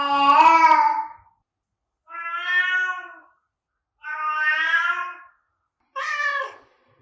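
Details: Four separate meows spaced about two seconds apart, sounded to attract cats; the first loud and bright, the middle two softer and even, the last short and sharp, with silence between them.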